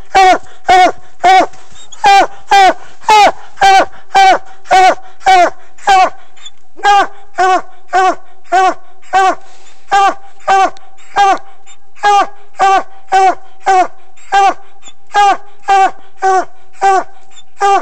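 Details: Coonhound barking in a fast steady series, close to two ringing, tonal barks each second, with a short break near the middle before the rhythm resumes; no other clear sounds.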